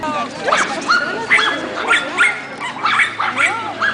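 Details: Pekingese dogs in the ring at a group speciality show in Tallinn, Estonia, on 22 May 2011; high, rising yaps and whining barks repeated about twice a second, with speech in the background.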